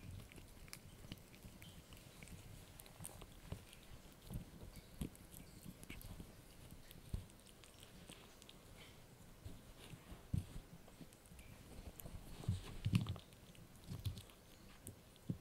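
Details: Yorkie puppy named Blue chewing a dried bunny ear indoors, irregular crunchy bites and low thuds scattered through quiet background, with sharper cracks clustering near the end.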